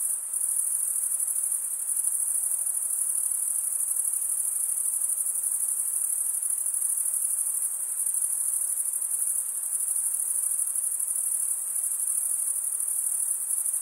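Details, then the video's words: Stridulating male crickets produce a constant, piercing high trill that never pauses, a uniform shimmering chorus over quiet mid-range hiss; nothing else is heard. "Most relaxing cricket sound for 8 hours"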